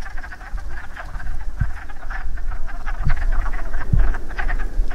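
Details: Chorus of breeding wood frogs at a pool after rain, many short duck-like quacks overlapping in a continuous irregular chatter over low-pitched background rumble and a few dull thumps.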